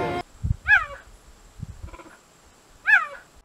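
A cheetah gives two short, high, cat-like meows about two seconds apart, each rising then falling; a faint steady whine and a brief burst of noise are also heard.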